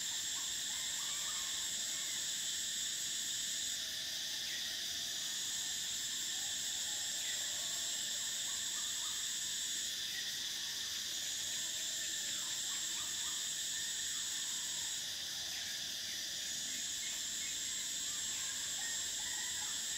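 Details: Cicadas singing in summer: an intense ringing buzz sustained for the whole stretch, its highest layer dipping and returning roughly every five to six seconds, with faint short bird chirps scattered beneath.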